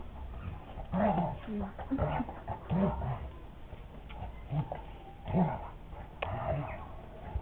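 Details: Playful Dogo Argentino making whimpering yips and low growly noises in short separate bursts, mixed with human speech in the background.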